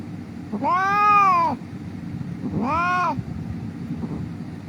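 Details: Injured cat lying on a street crying as it is rescued: two drawn-out arching meows, the first louder and longer, the second shorter, with faint traffic rumble and background hum.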